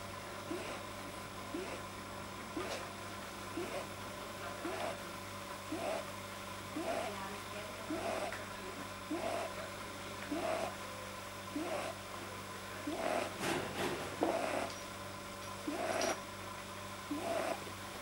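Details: Pet rabbit Pamuk, deeply relaxed, making unusual noises that a vet traced to a probably too-long soft palate, recorded 9 January 2010; short nasal squeaky puffs repeat about every 1.2 seconds, steady low hum behind.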